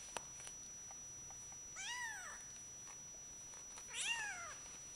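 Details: Male Bengal cat giving two meows roughly two seconds apart, each arching up then sliding down, heard against a steady background hiss.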